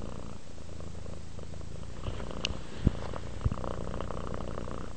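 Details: Relaxing cat producing a soft, low purr, steady and continuous, broken by two or three small clicks near the middle.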